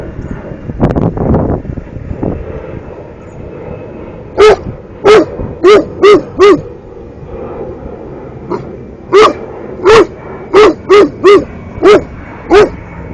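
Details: Young Cane Corso, 13 months, barks at turtles in two bursts of about five and seven loud, deep, evenly spaced barks, each under a second apart, after some low muffled sounds at the start.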